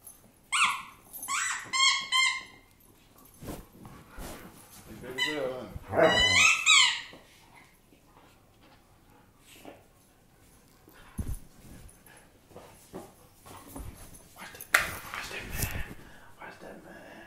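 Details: German Shepherd in a small indoor room letting out shrill, quavering whines in two stretched bursts, the second rising and falling, with a person talking in between and light household noises.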